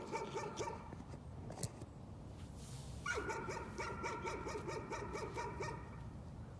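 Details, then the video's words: Dog barking as a nuisance: a short burst of quick barks, a lull of about two seconds, then a steady volley of roughly nine rapid, tonal barks. "Nuisance barking again."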